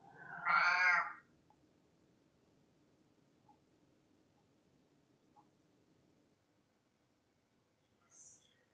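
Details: Indoors, a hungry pet cat named Sven, upset at his owner, lets out one loud, drawn-out meow at the start, followed by near silence with faint soft ticks and a brief high sound at the end.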